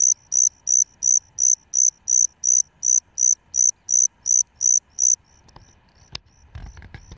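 A Salmanites cricket gives clear, high, pure-toned chirps, nearly three per second, in a steady run.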